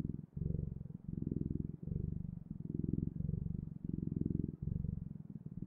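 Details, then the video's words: Domestic cat purring, deep and vibrating, swelling and fading in roughly seven long phases separated by short gaps as the cat breathes in and out, in a quiet setting. "Sounds of Cat's Purring"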